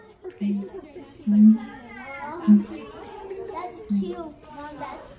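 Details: Father and mother siamangs singing together at the Los Angeles Zoo: deep booming notes at about one-second intervals with higher wavering calls above, over steady chatter of a crowd of visitors.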